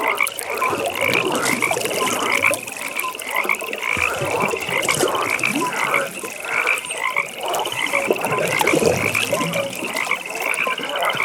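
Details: Dense frog chorus at a pond after dark, bursts of rattling croaks recurring about every second against a constant high pulsing trill, with quieter croaks scattered in between.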